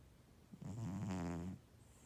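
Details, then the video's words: Pet cat ToTole snoring: a single drawn-out, buzzy low snore lasting nearly a second, rich in rattling harmonics, in a quiet indoor room. "ToTole le chat ronfleur!!!"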